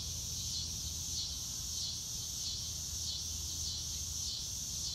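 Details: Crickets on a blue-sky day, real-time nature recording without music: shrill, high chirping rises and falls in even pulses roughly every half second above a constant insect hiss and low background rumble.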